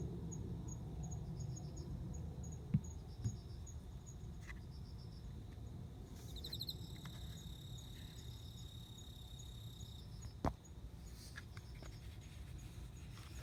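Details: Male cricket singing to court a female before mating, recorded September 29; short high pulsed chirp groups and a fainter steady ticking over low rumbling background noise, interrupted midway by bursts of rustling and a few sharp knocks.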